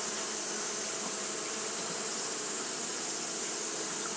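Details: On a hot day, Japanese honey bees keep up their fanning behaviour, producing a uniform whirring buzz with a strong steady high-pitched sheen and no pauses.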